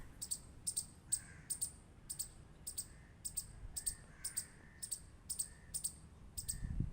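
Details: Squirrel giving crisp high-pitched clicks, mostly doubled, evenly spaced around twice per second, with soft low background noise.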